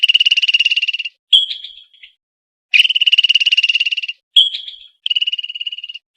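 A squirrel gives rapid, high-pitched trilled chatters in bursts, some steady and some fading away.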